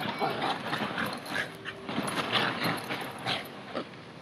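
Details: A pair of Bichon Frise dogs play attack and defend on large bean bag chairs outdoors at a hotel in Ko Samui, Thailand; short breathy grunts and scrabbling bursts repeat irregularly against constant background hiss.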